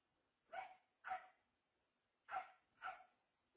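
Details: Newly adopted dogs, a Corgi/blue heeler mix and a bigger Shepherd mix: four sharp, clipped barks in two pairs about half a second apart, with a quiet pause between the pairs and a still background.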